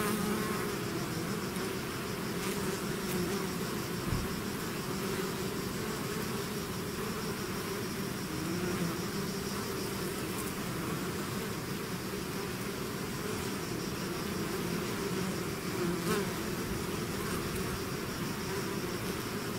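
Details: A bee swarm pouring out of its hive produces a thick, constant hum of countless wings, steady and unvarying throughout, with a faint tick or two standing out briefly.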